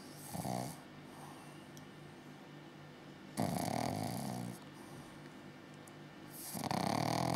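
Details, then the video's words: Six-month-old Pug-Zu puppy snoring: three breathy, rasping snores, the middle one long and full, spaced roughly three seconds apart over a steady low indoor hum. "Pug-Zu Pup snoring"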